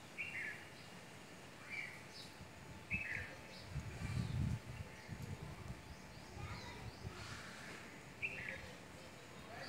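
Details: Squirrel in mango and litchi trees during the fruiting season, giving short, sharp chirps repeated roughly every two to three seconds, some doubled, against a low outdoor rumble and faint background noise.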